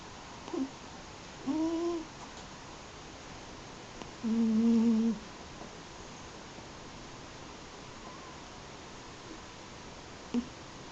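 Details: Yuzu, an eight-year-old Munchkin and American Shorthair mix cat, snoring while asleep as she does daily: two drawn-out, low, tonal snores of about a second each, with a few faint short snorts between, in a quiet room.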